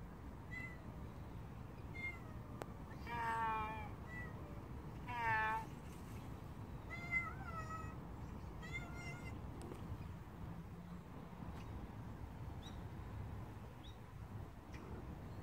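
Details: Stray cat in a run of meows, two louder drawn-out cries near three and five seconds among shorter chirpy mews, then quieter; steady low-pitched background hum throughout.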